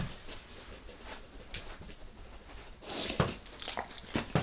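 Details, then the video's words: Dog named Max going after a beef rib, lightly at first and then all in: irregular crisp cracks and wet gnawing clicks, sparse early, then denser and louder crunching in the last second and a half. "Max Eats | Beef Rib | ASMR DOG EATING"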